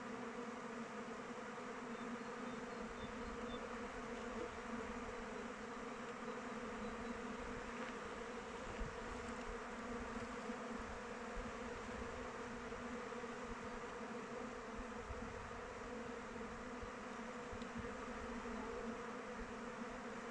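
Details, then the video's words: Honey bees flying around their hive in open weather; a steady, dense swarm hum with layered droning bands, continuous without pauses across the whole stretch. "Bees flying around hive"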